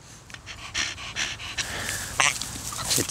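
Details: Donut, an elderly 13-year-old Staffordshire Bull Terrier cross, breathes in uneven panting puffs mixed with sniffs and short snorting bursts, with faint rustling near the end.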